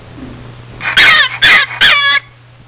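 A gray fox gives three harsh, raspy screams in quick succession, each about a quarter second long.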